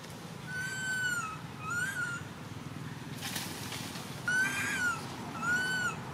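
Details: Little baby monkey crying because its mother ignores it; four high, bending wails, each rising then falling, in two pairs split by a brief burst of rustling noise, with a low background rumble throughout.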